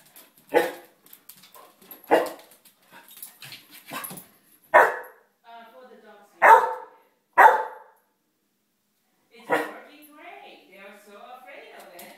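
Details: Young pet puppy, five months old, barking at a cat painting in a home dining room, recorded by iPhone; six loud, abrupt barks at irregular intervals between a person's encouraging speech and small household noises.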